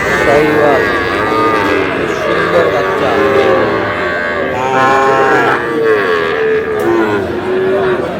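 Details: Sahiwal bull calves for sale at Aftabganj cattle market in Dinajpur on 11 July, as trading opens: several drawn-out, wavering moos rise over a busy crowd of shouting and chattering voices.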